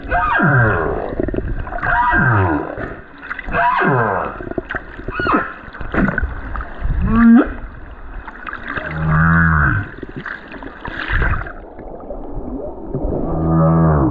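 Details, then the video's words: Lone male humpback whale singing on the Silver Bank in February 2023, recorded from a snorkeler above him: a series of moaning, sweeping units with rich harmonics, some falling, others rising into upsweeps, plus pulsed rasping phrases and water noise. "Singing humpback whale on the Silver Bank"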